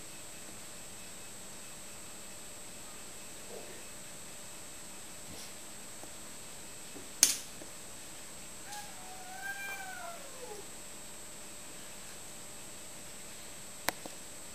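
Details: Male cat meeting female cat: a long quiet spell, then sharp clicks and a single arching, tonal meow that rises and falls, with a faint steady electronic hum and another click near the end.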